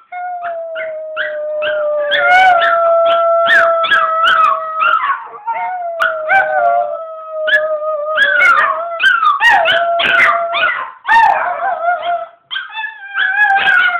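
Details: A chihuahua and a pomeranian howling together, recorded on an Android phone: long, steady howls overlap with higher, wavering yips and broken cries, with brief pauses between the howls.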